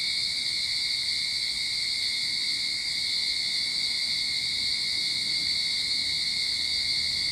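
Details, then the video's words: In a Sydney backyard as summer begins, cicadas keep up a dense, even, high-pitched droning buzz with a thin lower whine beneath, holding level and unbroken from start to finish. "Cicada Sound to Calm your Mind"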